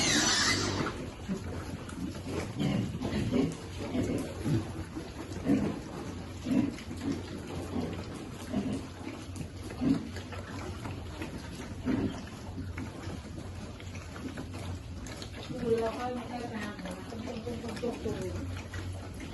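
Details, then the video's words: Baby piglet waiting to eat while being fed, giving a run of short, low, rough grunts repeated roughly every second, with a steady low hum and faint splashing or rustling in the background. "Baby piglet waiting eat food, feeding lovely piglet."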